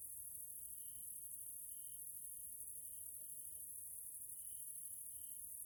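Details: Grasshoppers chirping in the evening in a Hungarian nature area, Central Europe: a steady, very high-pitched shimmering drone with faint, mid-high tonal trills in short bursts every second or so, over low background rumble.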